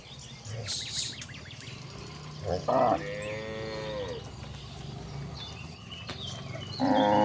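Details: Cows roaming toward a vast pasture: a brief moo followed by a long, gently falling low moo, then a loud moo at the end, with scattered bird chirps and rustling noises.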